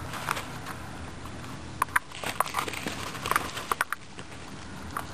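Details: Pet guinea pigs crunching on a carrot: short, sharp bite clicks arrive in quick irregular clusters, loudest near two and three and a half seconds, against faint room noise.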